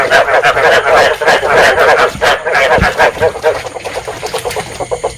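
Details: Dense chorus of rice field frogs, a breeding-call recording played to attract frogs for trapping; rapid overlapping croaks, pulsing several times a second, fading and thinning toward the end.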